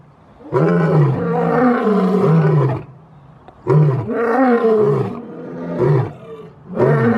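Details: Lion. Deep, throaty roars from a lion rise and fall over about two seconds each, separated by short pauses. The rich, rumbling voice repeats several times with a slightly wavering pitch.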